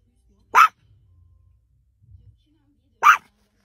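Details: Small Chihuahua dog barking at a cat, two short, sharp barks about two and a half seconds apart, with faint low rumbling sounds between them.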